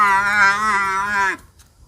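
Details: Domestic Thai buffalo at a farmer's pen in Thailand, recorded 9 September 2022, giving one steady, level-pitched moo lasting over a second, rich in harmonics, cut off abruptly into near quiet.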